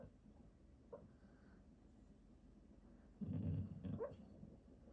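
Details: Dog that is startled by its own snoring; one loud, low, rasping snore-burst lasts under a second, with near silence around it.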